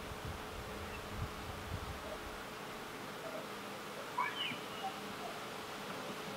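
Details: A leafcutter bee at work on nest chambers in old holes of a brick wall gives a constant droning hum, broken past the midpoint by a short, rising chirp and a few faint squeaks.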